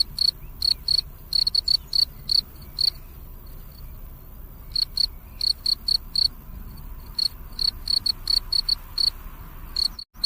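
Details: A cricket at night chirps in short, high pulsed bursts, repeated in quick irregular runs.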